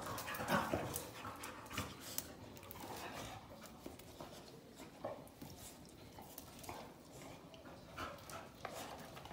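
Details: Several Norwegian Elkhounds playing together: soft, breathy panting bursts and scuffling noises at low level, with one short whine-like tone early on, then irregular huffs continuing throughout.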